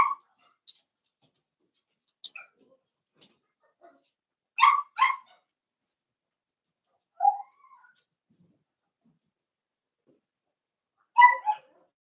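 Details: Cavalier King Charles Spaniel puppies, blenheim, from a litter born over New Year's. Scattered soft squeaks lead to short double yips, each pair spaced several seconds apart in a quiet indoor pen.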